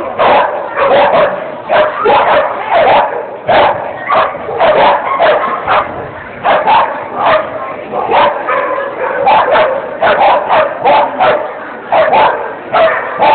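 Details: Dog at a 2010 agility competition in Thalfang, Germany, barking repeatedly in short, loud, rough bursts about twice per second throughout, with brief pauses between runs of barks.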